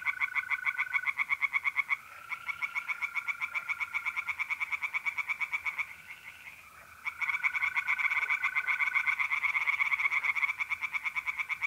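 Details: Night chorus of tree frogs in a pond, north-east Italy, mid-April: dense rapid rasping pulses running almost without break, one brief lull, with a constant mole cricket trill underneath.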